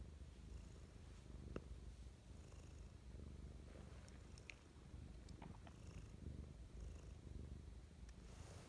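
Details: Domestic cat Mischa purring affectionately in the morning indoors: a steady low rumble throughout, with a few faint clicks and small rustles scattered over the top.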